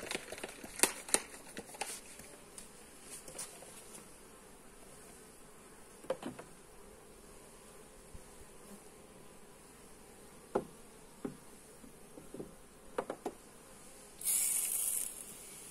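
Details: Hive inspection with honey bees, captured on a Xiaomi Redmi Note 8: a quiet continuous bee hum under frequent crisp clicks and taps of handling, then a short burst of hissing noise at the end.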